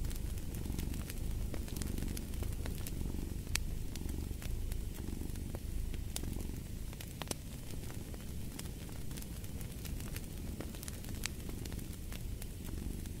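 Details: Cat purring in a soft, throbbing drone with rhythmic swells, accompanied by steady crackling and occasional louder pops from a wood fire.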